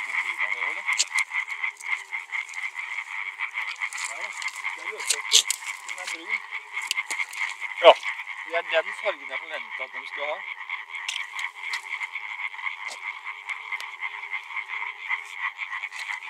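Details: Male European tree frogs calling together, a steady chorus of fast, harsh, clicking croaks running without pause; soft human voices and a few sharp knocks can be heard in the background.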